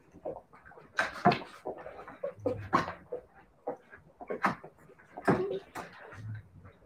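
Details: Siberian Husky puppies making rapid, scattered whimpers, yips and small squeaky barks, overlapping and uneven in rhythm, with low thumps between calls indoors.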